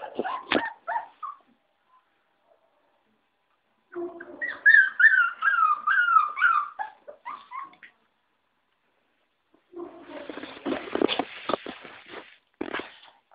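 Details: Five-week-old puppies: a burst of short yelps, then a long run of high, wavering whines and squeaks, then a noisier stretch of mixed yips and scuffling.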